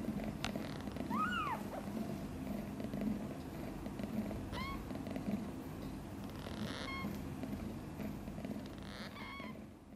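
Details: Newborn kitten Guitar, one of five born a few days earlier to mother cat Chan, sleeping soundly; four thin, high, arching mews spaced a few seconds apart over a steady low purring rumble.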